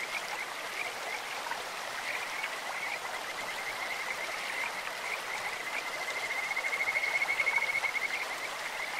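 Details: Kajika frog calling in a clear mountain stream: a thin, bird-like trill of rapid pulsed notes at an even high pitch, swelling louder toward the end, over steady rushing water.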